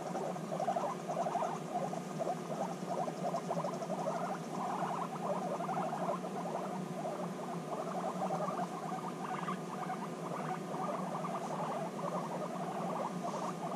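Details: Guinea pigs, together again after six months apart and bonding, voice a continuous series of quick rattling pulses, louder in bursts, above a faint steady hum; a woman's voice follows.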